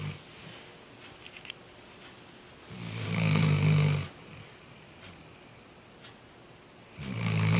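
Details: Britney, a female Weimaraner, snores loudly in her sleep, each deep rumbling breath lasting over a second, separated by quieter pauses.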